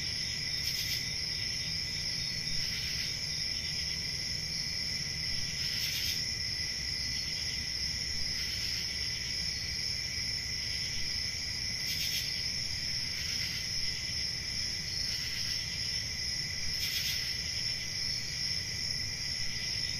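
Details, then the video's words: A forest chorus of crickets on a summer night, a constant piercing trill with brief louder chirp pulses every two to three seconds and a faint low drone behind. "Summer Night Cricket Sounds"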